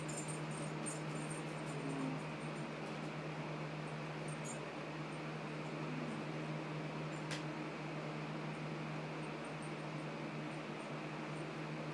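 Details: Even indoor hum of a fan or air conditioner runs throughout, with a faint click near the middle and no animal sound.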